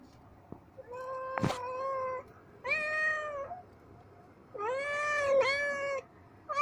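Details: Kittens with blue eyes playing together, giving loud drawn-out meows with a strong stack of overtones, four calls in about seven seconds, some steady and some bending up and down, with quiet gaps between them.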